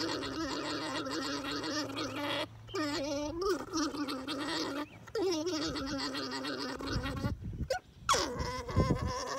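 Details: Alpaca mating, with a rough gurgling hum that wavers in pitch, interrupted by brief pauses. Scuffling and thumping noises come near the end.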